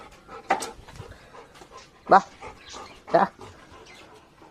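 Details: Labrador Retriever greeting its owner home from work; three short, sharp excited yelps about a second apart, with a person's coaxing voice calling between them.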